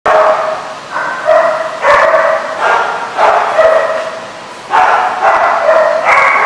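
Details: Dog barking in quick runs of harsh, harmonic barks, several per second, with short pauses between bursts and a steady background hiss.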